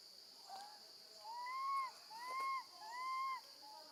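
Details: A baby monkey screams loudly for her mother after being left alone with her gentle grandmother. Three drawn-out whistled wails each rise then dip, coming about every second, with a faint shorter cry first and a steady high hiss behind.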